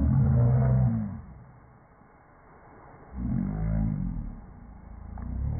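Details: A Rhodesian Ridgeback that dislikes the vacuum cleaner growls. There are two deep, rumbling growls, the first about a second long and the second about a second and a half, with a quieter gap between them.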